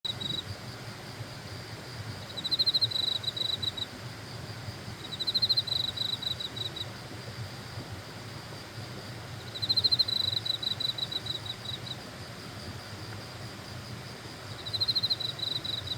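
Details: Grass insects on Suraksan mountain: bursts of rapid, high, pulsed chirping lasting about a second, recurring every two to five seconds, against a broad hiss of background noise.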